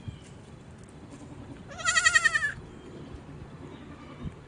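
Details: Young goat on a farm in the mountains bleating once, a short trembling cry with a fast vibrato lasting about two-thirds of a second, set against quiet low-pitched background noise.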